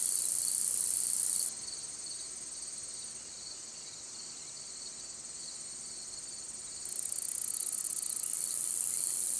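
A long-spurred meadow katydid sings a high, hissing buzz that drops to softer ticking, then swells again.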